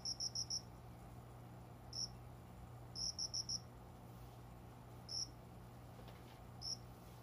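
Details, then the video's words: Summer cricket heard at about five in the morning by the window greenery indoors. It opens with four rapid high chirps, then gives single chirps and another burst of four, unevenly spaced, against a low steady hum. "虫の鳴き声 この虫の声は鈴虫のかな？コオロギ？"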